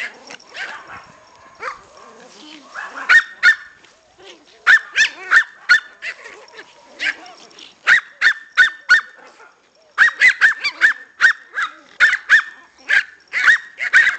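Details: A pair of six-week-old Pomeranian puppies wanting to play, barking in quick runs of high, sharp yips, several bursts of three to six with short gaps, alongside some human speech.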